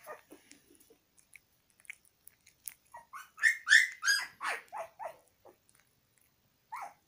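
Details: A puppy eating egg yolk: a burst of short squeaky, smacking sounds clusters mid-recording, preceded and followed by sparse soft clicks and small noises in a quiet setting.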